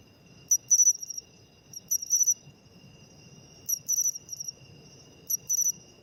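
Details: Autumn song of a matsumushi, or pine cricket; a sharp single click followed by a rapid trill-like double chirp, very high and metallic, recurring every one and a half seconds above a soft constant hum and low background noise.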